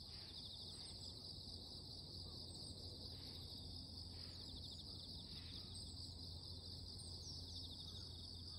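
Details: Morning voices of insects form a steady, intense high-pitched ringing drone, overlaid by scattered soft whooshing pulses at irregular intervals and faint low background rumble.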